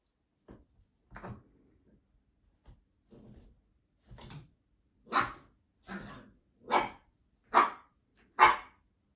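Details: A blue Italian Greyhound gives a run of sharp barks that grow louder, about one a second.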